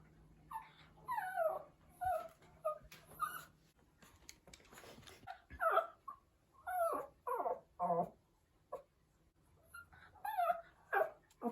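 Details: Pomeranian puppy howling because he misses his mom: a run of short, wavering, whiny howls, each rising then sliding down; finding: Pomeranian.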